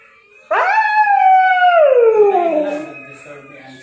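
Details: Drowsy Siberian Husky giving a single long howl, starting abruptly, holding a clear tone with strong overtones, then gliding steadily downward and trailing off quietly over about three seconds.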